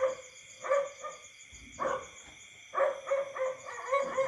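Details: Frog. Frogs croak in short, throaty notes, sometimes singly and sometimes in quick runs of two or three. Beneath them, a constant shrill ringing of night insects hums on without pause.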